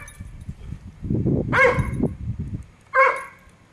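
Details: Ranger, a pet Labrador Retriever, gives two sharp barks while chasing a squirrel that was robbing a bird feeder outside an office window, the first bark about halfway through and the second near the end, with low rumbling and handling noise between them.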